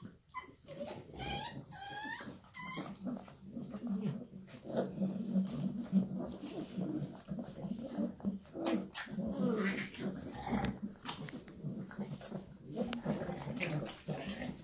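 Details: Shar Pei mother with her puppies; opens with a run of thin rising puppy whines, then a steady low growly rumble with scattered clicks and rustling indoors.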